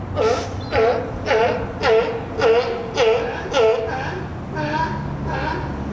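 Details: At the Willamette Falls colony, a California sea lion gives a steady run of harsh, honking barks, about two each second.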